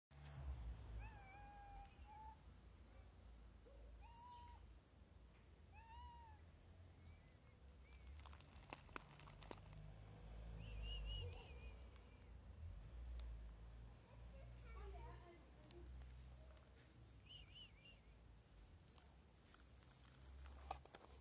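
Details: Hungry street cats turning aggressive, meowing: short arched meows near the start, around four and six seconds, then thinner, higher cries around eleven and seventeen seconds, over a steady low rumble and occasional clicks and knocks.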